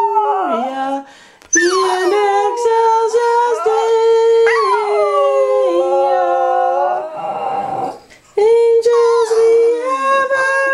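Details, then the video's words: Border Terrier named Badger singing along to the Christmas carol Angels We Have Heard on High with a woman's voice; drawn-out wavering howls that rise and dip, broken by two short pauses, then a sustained high note. "Badger the Border Terrier sings a Christmas Carol"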